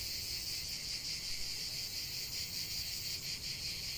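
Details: Cicadas singing in an unbroken, intense metallic buzz with quick rhythmic pulses, a constant wall of insect sound over faint background noise.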